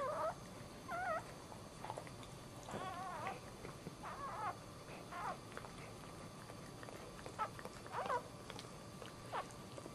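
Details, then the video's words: Newborn male Dachshund puppy, first of the litter, moments after birth, lets out thin wavering squeaks and short cries at intervals over soft background noise and murmuring. "Dachshund 1st Puppy Birth"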